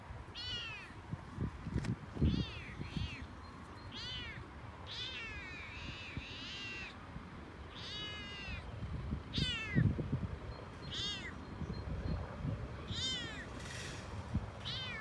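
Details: Frodo the Toyger chatters on a walk he loves, excited into talking more than usual: a long series of short arched meows, some doubled, coming every second or so against steady low outdoor rumble and footstep-like thumps.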